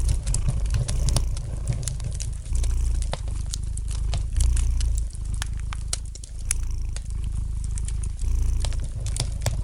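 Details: Domestic cat purring gently beside a crackling fireplace: a deep, steady rumbling purr in waves of a few seconds each, with sharp crackles and pops of burning wood scattered throughout.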